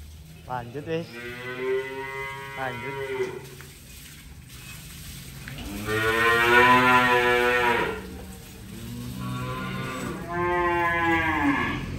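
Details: Cattle being unloaded, mooing loudly in long harmonic bellows: a wavering call near the start, then a strong sustained moo around six seconds and another after ten seconds, with steady background hum.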